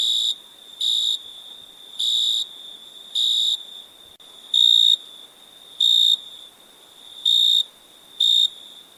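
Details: Crickets chirping at night: bright, high trilled bursts about half a second long, repeated roughly every second over a steady continuous high whine from other insects.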